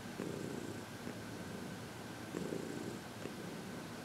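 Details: Steady low purring from Heidi, a 14-year-old senior shelter-adopted cat, relaxed and happy while receiving massage and reiki, February 22, 2021; continuous rumble rising into stronger pulses at the opening and again about two seconds later.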